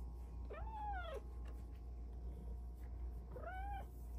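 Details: A female Bengal cat on her petting shelf gives two drawn-out meows that rise and fall, chatting with her owner, who praises her cute meows.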